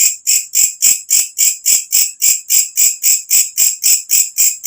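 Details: Walang kecek katydid with its loud nocturnal call, recorded naturally as tutor material for songbirds; a run of about seventeen crisp, high, buzzing chirps at a fast even tempo.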